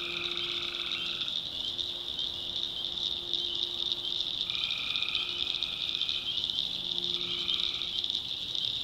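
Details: At night in a North Carolina swamp, many tree frogs keep up a shrill, seamless chorus; lower sustained calls break in three times, each lasting around one to two seconds.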